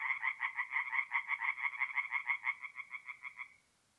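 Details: Tree frog croaking by night at a forest pond in north-east Italy during mid-April; a rapid string of harsh pulsed notes running about three and a half seconds before ending abruptly into quiet.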